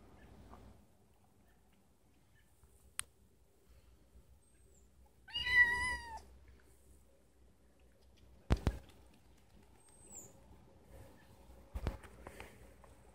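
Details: Indoor pet cat, a female, crying because she wants to go outside: one drawn-out, wavering meow with strong harmonics midway, surrounded by quiet room tone and a few sharp clicks and knocks.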